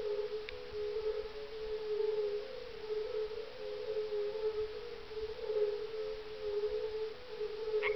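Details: At nightfall on 30 May 2011, many European fire-bellied toads call together from a small ice-age pond near Parstein in Germany's Schorfheide-Chorin Biosphere Reserve; dull, fluting 'oong' notes merge into an even, overtone-like hum, with two brief clicks.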